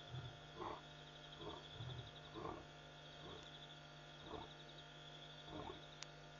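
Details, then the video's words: After midnight at Pete's Pond in Botswana's Mashatu Game Reserve, August 5, 2014, lions call: deep grunts spaced roughly a second apart, slowing toward the end, with steady high-pitched insect trilling throughout. "Lion Calling...and Calling at Pete's Pond"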